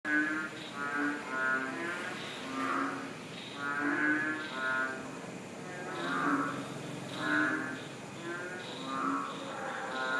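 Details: A frog chorus of overlapping nasal, harmonic croaks rising and falling in steady waves, recorded in April 2013 in Nakhon Ratchasima, Thailand.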